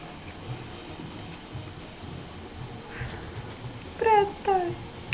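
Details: A dog scared by its own reflection in a mirror, indoors: after quiet room noise, two short, clear, falling whimpers about half a second apart near the end.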